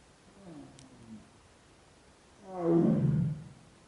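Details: Bengal tiger mother calling her cubs in Corbett Tiger Reserve, India: a faint low moan, then a loud, deep, harmonic-rich roaring groan rising and fading over a second.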